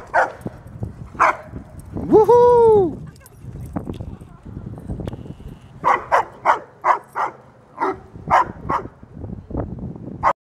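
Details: At a dog park, a 75-pound female German Shepherd plays alongside a 110-pound male Doberman and a 135-pound male Great Dane. A long, drawn-out whining yelp comes first, then a run of sharp barks about every half second, with people talking nearby.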